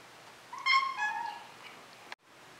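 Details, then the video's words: Moose, a Maine Coon cat, gives a single drawn-out meow that swells quickly, wavers and fades over about a second and a half, followed by a short click and near silence indoors. "Maine Coon Moose MEOWS Kitten Vs Adult"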